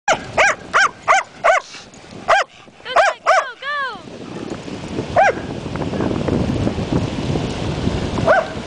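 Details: Two dogs at the beach, barking at their owner while playing: a quick run of about ten sharp, ringing barks over the first four seconds, a few whiny rising yelps, then steady surf-like rushing noise broken by two more lone barks.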